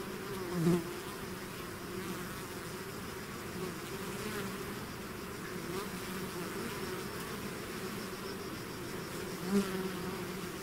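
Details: Bees swarming out of their hive make a steady humming drone, with two sharp close fly-by buzzes rising above it near the start and again near the end.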